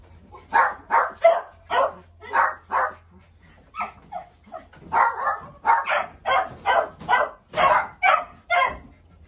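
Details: Dog barking in a rapid series of short, sharp barks, roughly two per second, continuing without pause for over nine seconds, with a faint steady hum underneath.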